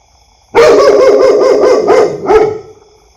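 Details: Loud dog giving a fast run of about seven rough barks in close succession, then one final separate bark.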